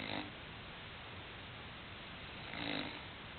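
An English Bulldog snores in two broad, raspy breaths about two and a half seconds apart.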